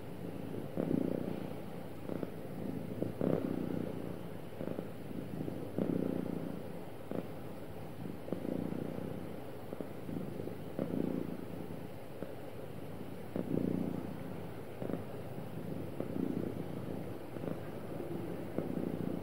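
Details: Sweet, happy cat with a long, smooth, low purr, its rumble pulsing gently in breath cycles of about one to one and a half seconds, steady throughout with no other noises.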